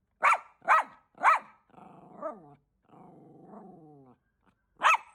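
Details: Bichon Frise barking protectively at a repairman entering the house: three quick sharp barks, then drawn-out tonal whining or growling sounds with wavering pitch, then one more sharp bark at the end.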